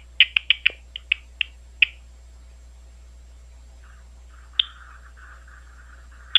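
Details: At Ohio State University, a big brown bat gives a short run of sharp clicks that slow and spread out over two seconds. A faint, wavering hiss follows, then two lone clicks.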